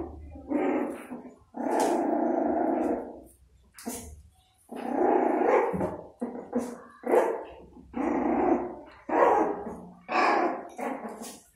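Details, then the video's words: Kitten guarding its food and refusing to share, growling over its meal: rough, throaty growls lasting one to one and a half seconds each, repeated about eight times with brief pauses and soft clicking between them. "Kittens Who Really Don't Want to Share Their Food"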